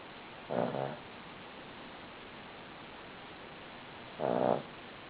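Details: Buddy the Cavalier King Charles Spaniel asleep, giving two short buzzy snores several seconds apart in a still, quiet setting.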